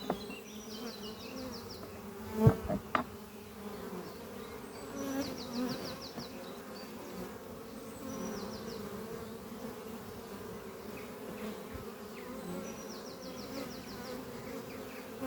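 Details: Honey bees streaming in and out of the hive Doppio on a spring morning give a rich continuous drone, with loud close passes in the first seconds and a bird's quick high trill recurring four times in the background.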